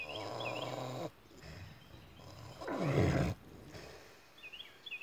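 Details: Sleeping pigs snoring at David Crockett birth place park: two long, rough, breathy snores, the second louder and deeper, separated by a quiet pause, with small birds chirping in the background.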